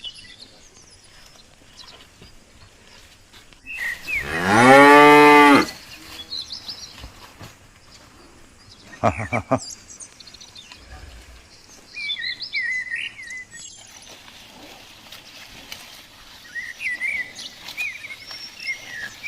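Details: Mother cow that has calved at Sigeudok Hill, Lamteuba, uttering a single long, loud, rich moo, followed by quieter rustling and scattered high bird chirps and twitters.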